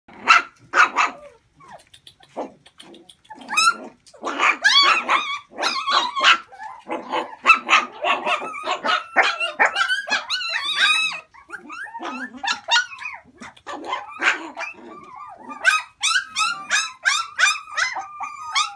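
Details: Dogs offered for sale, among them Alaskan Malamute, Samoyed, Chow Chow, Malinois and Pekingese-Japanese Chin crosses, giving dense overlapping high yips and barks in quick bursts, several animals calling at once with short pauses between volleys.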